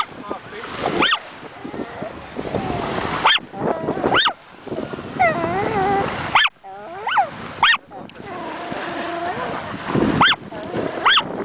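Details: On his first ocean visit in summer 2008, the chihuahua Niles yaps repeatedly at breaking waves, riled by wind and sound: bursts of shrill barks in clusters, mixed with a person speaking and steady surf and wind noise.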